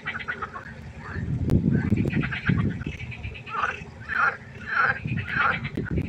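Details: Frogs calling at night beside a pond: loud, rasping, harmonic croaks repeat roughly every half second in a steady run, while other frogs chorus behind and low thumping rumbles underneath.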